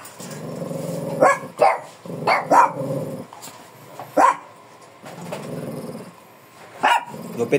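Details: Fierce Shih Tzu angry during a grooming haircut: low rumbling growls broken by short, sharp barks and snaps, with people talking close by throughout.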